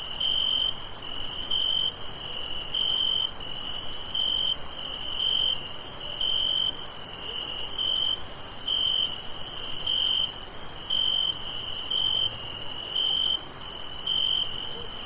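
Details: Crickets chirp in a steady summer night chorus, high pulsed notes over a dense, shimmering insect trill.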